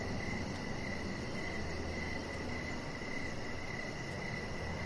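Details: Crickets outdoors in the evening near a deck, chirping in a continuous pulsing mid-pitched chorus with a very high faint ticking trill above and low background rumble.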